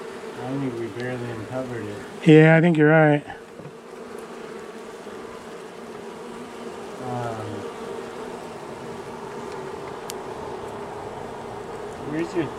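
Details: Angry honey bee colony, long established inside the wall of a house, disturbed during day one of a March 6 rescue cutout after dark: a steady, low droning hum runs throughout, with a short burst of human speech early on.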